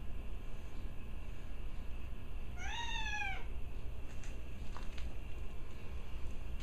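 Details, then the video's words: One of two pet cats, Benjy and Gracie, vocalises during play with the other cat: a single arched, tonal call rising then falling over about a second, with a faint click afterwards and steady low background hum. "Cat barks at 2:08!"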